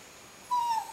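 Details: Cavalier King Charles Spaniel whimpering while missing his owner and being teased: a single short, high, thin whine that falls slightly in pitch over about a quarter second, against a quiet indoor background.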